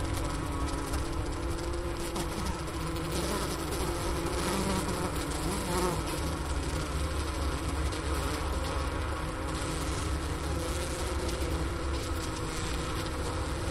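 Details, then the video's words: Honey bee colony inside its hive in winter at the Wooster campus of Ohio State University, about 4 PM on January 16, 2024, 15°F outside; a Sony voice recorder sits by the inner-cover hole near a leftover sugar brick. Steady, dense, low humming drone throughout. "Bee Hive Sounds in Winter"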